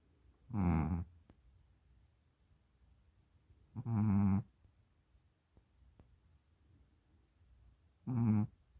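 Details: Tired Pomeranian asleep in a cone collar, snoring: three throaty, rasping snores about four seconds apart, each lasting about half a second, with near silence in between.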